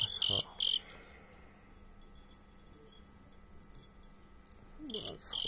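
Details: Crickets kept for fighting give a few sharp, high, buzzy chirps at the start, fall silent for several seconds, then resume with a burst of shrill chirping near the end.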